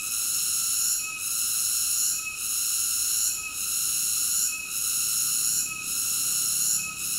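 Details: Cicada singing: a steady, shrill, high-pitched buzzing drone with layered bands of tone, briefly dipping in loudness about once every second in a regular pulse, with no other clear sounds.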